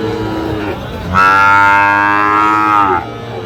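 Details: Sahiwal bull at a Kushtia cattle market in Bangladesh, 5 August 2025: one loud, steady, sustained moo of about two seconds, rich in harmonics, stands out above the background murmur of the crowd.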